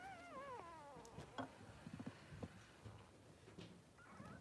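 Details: Three-day-old Blenheim Cavalier King Charles Spaniel puppies, two newborn males with mother Pom-Pom in their puppy pen. A high wavering whine falls and then fades, followed by soft rustling and bumps, with a brief rising squeak near the end.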